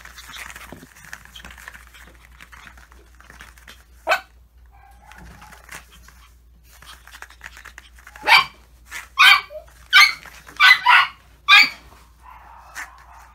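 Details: Maltese dogs in a garden, walking around with a paper plate begging for more food; a series of sharp barks clustered near the end, preceded by faint quieter sounds and a low steady hum.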